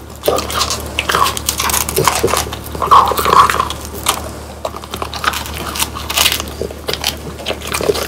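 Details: French Bulldogs Pang, Kun and Ppo crunching home-dried whole quail with bones; sharp, irregular bites and crackly chewing in bursts throughout, in a small indoor room.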